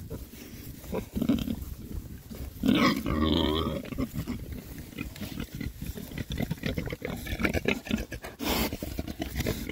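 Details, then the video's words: Oxford Sandy and Black pigs, rare breed, six boys foraging happily in winter between storms: low grunts, one longer squealing oink near the start, amid constant rooting, crunching and rustling sounds. "rare breed Oxford Sandy and Black, happy pigs, winter forage. 6 boys. ASMR oinks."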